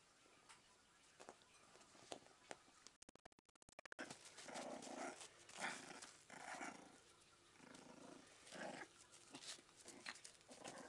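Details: Jack Russell Terrier puppies, 43 days old, at playtime, making short repeated yelps and growly bursts of varied length, with scuffling and a brief crackling dropout near the start.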